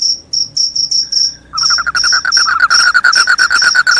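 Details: Loud cricket, claimed to repel rats and make listeners drowsy, giving high repeated chirps; after about a second and a half a lower, rapidly pulsed trill from another caller joins and grows to dominate.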